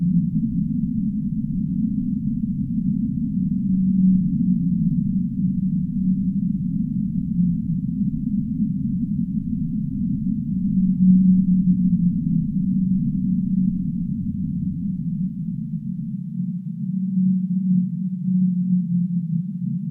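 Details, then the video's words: Whale from the deep sea: faint low tonal moans now and then, sometimes sliding slightly downward, set within a continuous dense low rumble across the whole stretch. "Whale Sounds of the Deep Sea"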